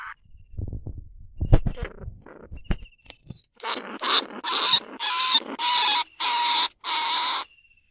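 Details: Rice-field pest, the lesser bandicoot rat, recorded live at Na Lao, Nong Khu Phai, to lure rats into cage traps: soft knocks and rustling, then six rasping, hissing squeals that grow longer, about one each half second.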